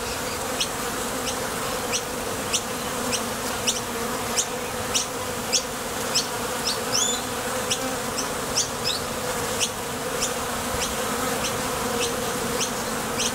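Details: Honey bees at the entrance of a Top Bar Hive, coming and going to forage for nectar: a steady low droning hum with sharp high ticks recurring about every half second.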